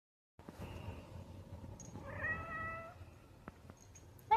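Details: Rescued domestic cat indoors, said to meow a lot early on, giving one soft, drawn-out harmonic meow lasting under a second after quiet shuffling; a few small clicks and a person's voice nearby.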